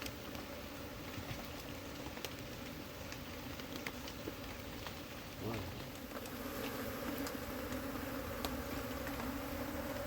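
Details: Honey bee colony being transferred into a hive kept in soil while poor combs are removed; a steady, low, droning hum with a higher overtone holds throughout, with scattered clicks and handling noise.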